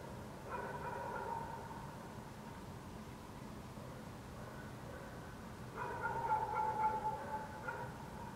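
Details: Dogs barking in the city of Helsinki, Finland, at night in June 2014 under a waning gibbous Moon; distant, faint, muffled barking in two bouts, one near the start and a longer one from about six to eight seconds, over a steady low city hum.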